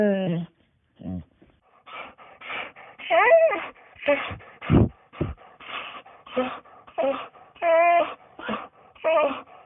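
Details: A domestic dog makes a steady series of whimpers: brief breathy sounds and a few low grunts among higher, quavering whines that bend in pitch, some sliding downward, spaced under a second apart.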